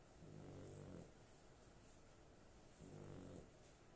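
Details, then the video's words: Pet dog, female, sleeping soundly and snoring: two low, harmonic rasping breaths, each lasting under a second, with a quiet hiss between them. "My dog snoring"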